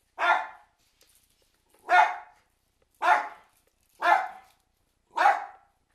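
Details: Several Cairn Terriers reacting to an approaching storm: five forceful, rasping barks at about one-second intervals, evenly loud, in a quiet room.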